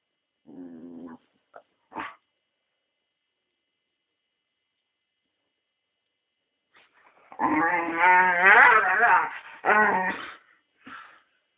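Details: Staffordshire Bull Terrier at home having a playful mad minute: short growling bursts early on, a long silence, then a loud stretch of harmonic growl-whines and yelps lasting about three seconds.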